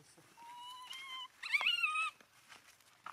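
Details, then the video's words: Abandoned monkey crying while hugging its owner's feet: a thin, steady whine near one pitch, then a louder, wavering cry with rising and falling bends, both with bright overtones, lasting about two seconds in a small quiet room. "Un pobre mono abandonado llorando abrazando los pies de su dueño"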